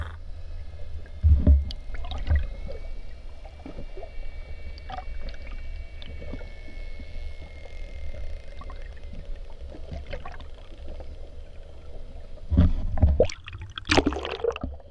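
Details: Curious bottlenose dolphin approaching a boat: a long, steady, slightly rising whistle held for several seconds, scattered clicks and sharp pulses throughout, over heavy low rumbling water and boat noise.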